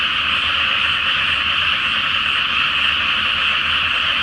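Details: Many frogs croaking together at night in a flooded rice field before planting, under the full moon; short stretch of continuous, densely packed chorus.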